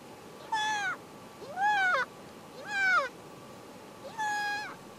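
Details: A newborn harp seal pup rolling in the snow gives four wailing, cat-like cries, each about half a second long.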